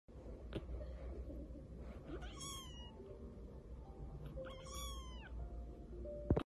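A Persian cat kitten gives two rising-falling meows over a low indoor hum.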